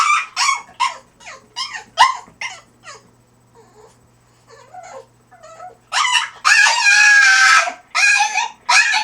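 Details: French Bulldog, crate training indoors, producing funny human-like noises: a string of short, sharp yips and yowls, a quieter stretch of soft whimpers, then a long, loud, wavering howl-like wail and a final yelp.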